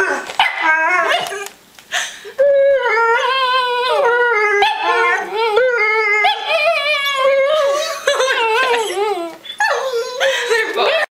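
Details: A female Lhasa Apso, who normally just barks, begins with a typical bark then switches to long, wavering, singsong whining yowls, rising and falling like talking, mimicking her pit bull mix sister while begging for cheese.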